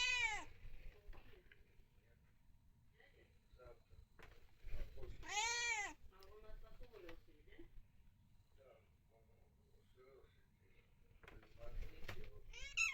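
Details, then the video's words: Pet cat meowing while playing: drawn-out arched meows at the start, near five seconds and near twelve seconds, short chirrups between, with a person talking softly in the background. "Playing with my cat"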